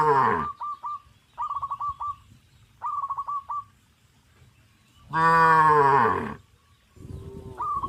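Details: Tame cows crowding around fields, running and jumping for joy; one long, deep, harmonic moo lasting over a second, between bursts of short rapid chirping at a steady higher pitch and a brief low call at the end.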